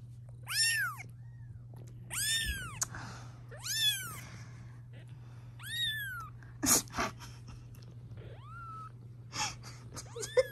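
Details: Protective mother cat, fond of her kittens, calling while they are filmed at home: repeated arched meows every one to two seconds, one lower and shorter near the end, plus a few knocks and a steady low hum.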